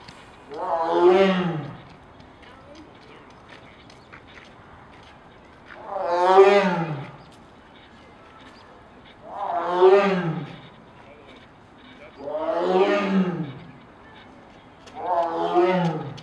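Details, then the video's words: Captive lion at Brookfield Zoo, Illinois, recorded December 22, 2016, roaring: five deep, groaning roars each about two seconds long, spaced roughly three to four seconds apart, with quiet background between. "Whirl roaring"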